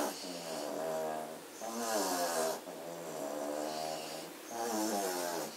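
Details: Several German Shorthaired Pointer puppies sleeping indoors after a frenzied play session, recorded 27 September 2016. Steady rasping snores come in slow, even waves, one every two to three seconds, with faint hiss between breaths.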